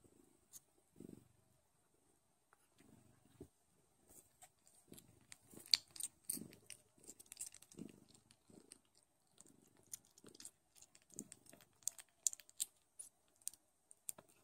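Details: Nursing Don Sphynx kittens purr in soft low rumbling bursts spaced a second or two apart. Busy sucking clicks and smacking noises fill the gaps in a quiet indoor room.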